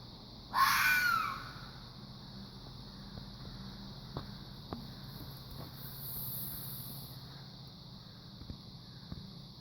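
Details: Fox making a strange noise: one loud, harsh, hoarse scream of about half a second near the start, then only a low steady hum and a few faint ticks.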